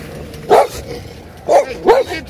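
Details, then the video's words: Neighborhood dogs barking: three short, sharp barks, one alone and then a quick pair about a second later, over a low steady background hum. "Annoying Neighborhood Dogs Barking"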